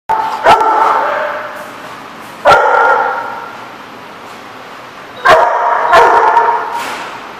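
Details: Dog barking: four loud, sharp barks, the last two close together, over a steady hiss of background noise.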